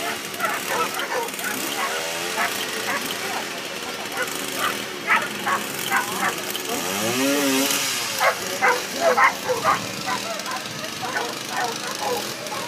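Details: Ibizan Hounds at the Tampere International coursing, Nordic championships, 14 July 2013: sharp, repeated barks come about twice a second in short bursts, with a longer yelping whine midway, over steady crowd chatter and outdoor bustle.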